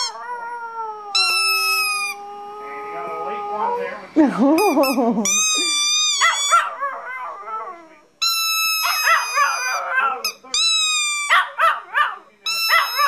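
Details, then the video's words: Bean the chihuahua howls in response to his favourite squeaky toy: long steady squeaks open, then bursts of quavering, rising-and-falling howls trade back and forth with more squeaks, with a voice in the background. "Chihuahua Learns to Howl"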